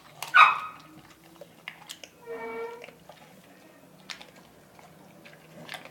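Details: Morgan, an American Bully eating chicharrón in a small room, lets out a loud, rough bark at the start. A tonal, whining sound follows a second and a half later, then soft clicks and chewing noises fill the rest.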